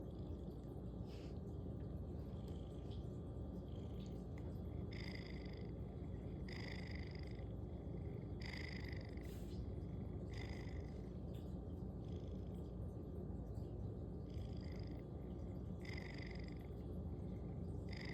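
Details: A sleeping domestic cat snoring loudly: a steady low rumbling drone runs throughout, with brighter raspy breath bursts recurring every one to two seconds, some closely paired, against a constant indoor hum.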